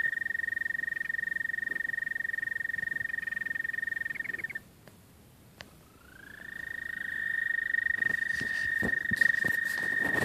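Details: American toad love song: one steady trill ends after four and a half seconds, a short quiet gap with a click follows, then another trill swells in, rising to a sustained pitch and growing louder.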